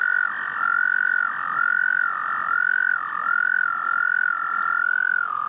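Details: Frog love song: a loud, high trill pulsing in regular phrases of just under a second, each ending in a short downward dip before the next begins, with a quieter second trill running steadily behind.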